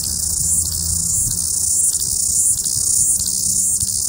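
A cicada gives a loud, steady, high-pitched buzz that swells slightly every second or so. There is a faint low rumble underneath.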